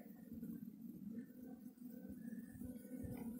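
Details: Russian honey bees humming steadily as their hive on a black stand is opened for the first time; a continuous low drone with rich overtones, swelling and easing slightly throughout.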